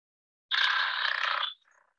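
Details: A leopard frog croak played back from a phone recording: one harsh, rasping croak lasting about a second, then a faint trailing rattle.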